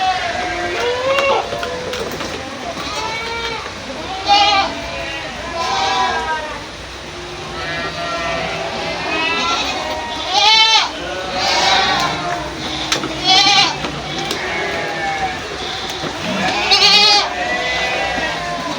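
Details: Several goats bleating together, overlapping wavering calls of varied pitch, some short and some drawn out, coming in quick succession throughout with little pause.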